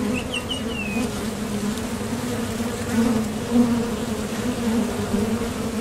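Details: Foraging honeybees coming and going at a top bar hive entrance make a continuous, even, low-pitched hum. A few brief bird chirps are heard near the start.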